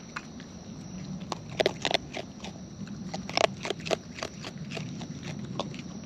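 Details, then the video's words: Wild raccoons eating close up outdoors, with sharp crunchy clicks and bites scattered irregularly over a low steady rumble, a cluster of louder crunches near the middle. "Wild Raccoons & ASMR Chewing Sounds"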